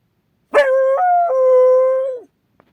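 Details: Akita watchdog alerted by an odd noise outside gives one long howl: a sharp start, a brief step up in pitch, then a settle back to a steady, even tone that falls away at the close.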